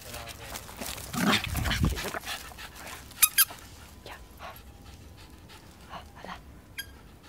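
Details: Shizuka, a three-year-old female Japanese Spitz from Fukuoka, Japan, playing in a dog run in 2017: loud, breathy, broadband huffing bursts early on, then a couple of sharp short sounds and softer scattered noises, with people talking in Portuguese nearby.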